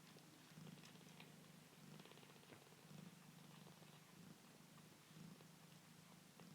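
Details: A foster kitten purrs steadily, a low rumbling hum that swells and fades about once a second, as the kittens settle to eat and then sleep.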